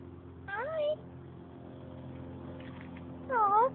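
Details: Siamese cat encountered by chance, meowing twice about three seconds apart; each meow is short and wavering, the second with a bent, rising and falling tone, with low background hum between.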